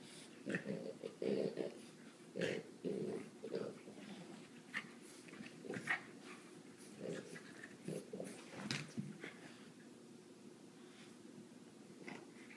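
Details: Dogs Sully and Boo indoors in February 2014, near a coffee table, making short, low, throaty grumbling bursts in clusters with pauses between them, along with breathing and faint room noise.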